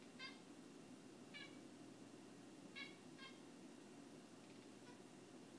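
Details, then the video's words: Pet cat worked up by a moth on the window, making faint, short harmonic squeaks and chirps in small bursts roughly a second apart, over steady low room hum. "Cat Squeaks & Clicks"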